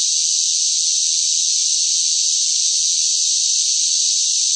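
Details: Cicadas singing in sweltering summer heat: a loud, unbroken high buzzing drone that holds steady at the same pitch and volume throughout, with no pauses and no other sounds.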